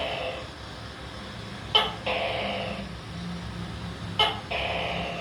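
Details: Tokay gecko calling: two calls about two and a half seconds apart, each a sharp click followed by a drawn-out, buzzy, slightly falling two-part note, over a steady low hum.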